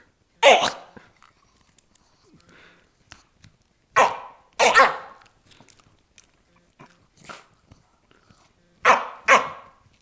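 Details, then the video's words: A Jack Russell Terrier guarding its bone gives strange noises: short, sharp bark-like bursts in pairs and singles, spaced irregularly a few seconds apart, with quiet low sounds between. "making strange noises while guarding bone"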